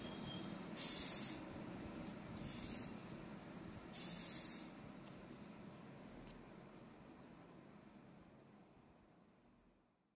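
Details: An angry rhinoceros beetle gives three brief, raspy, high hisses of about half a second each at uneven gaps over a steady low rumble, then falls quiet as the background fades.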